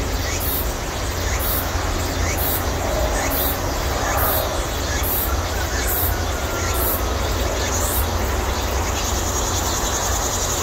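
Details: In a Korean persimmon orchard in late midsummer, cicadas sing a high, shrill drone broken by regular pulsing bursts over a steady low rumble, their peak signalling summer's end.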